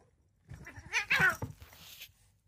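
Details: Short-legged pet cats in a playful, comical fight, one giving a brief wavering yowl that rises and falls over about a second and a half, with soft scuffling sounds before and after.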